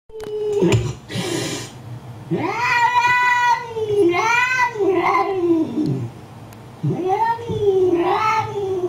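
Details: Cat reacting angrily while watching an angry cat on a computer, indoors; a short hissy burst, then long drawn-out wavering yowls that rise and fall, about four in sequence, with brief pauses between.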